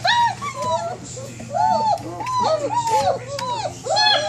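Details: Several 27-day-old German Shepherd puppies indoors in their whelping box, whining to be let out to play: overlapping arched, rising-then-falling whimpers in quick succession, some higher and thinner, with a steady low hum beneath.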